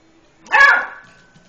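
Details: Single sharp yelping bark from Lucy, an eight-week-old Beagle puppy wary of a tom cat, with a brief ringing tail afterwards in an otherwise quiet room.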